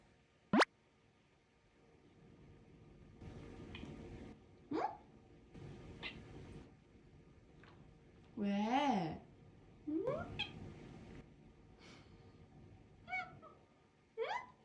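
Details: Pet cat meowing indoors among human speech: several short rising meows, one long wavering drawn-out meow near the middle, then quick chirping meows toward the end, with a sharp click near the start.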